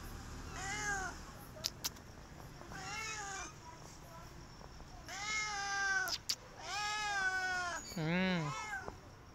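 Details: Stray cat asking for food, meowing insistently: short arched meows early on, then longer, louder wavering meows, ending with a lower, quavering voiced sound; a few sharp clicks in between.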